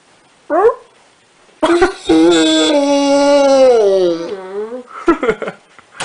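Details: Rottweiler: a brief yelp, a pause, then a sustained whining howl that sags slowly in pitch over two seconds, ending in short broken yips; indoors.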